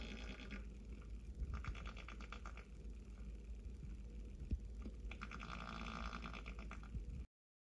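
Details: White-footed mouse drumming its foot against a surface to make a humming noise; rapid buzzy drumming bursts come near the start, around one and a half to two seconds, and from five to seven seconds over a low steady hum.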